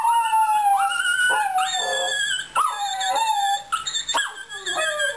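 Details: Short burst of a Fox Terrier's singing: clear, high howled notes that swoop upward, then drift down, repeated in quick phrases with small yelps between.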